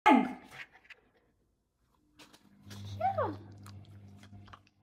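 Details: Female Samoyed puppy being taught to play dead on a 'bang' cue; a sharp high yelp opens, then after a pause comes a short, falling whine over a steady low hum.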